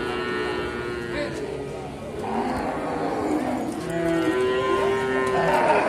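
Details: Lowing of cattle at Sukorejo market, Kendal, Indonesia, a place selling Simmental calves, heifers and breeding cows. Irregular moos, one long steady bellow near the end, with voices and crowd murmur around.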